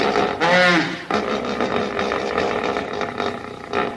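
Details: Hippopotamus giving a loud call: a brief harmonic, wavering honk lasting under a second, then a long rough, breathy rumble over a steady hiss, with a short louder burst near the end.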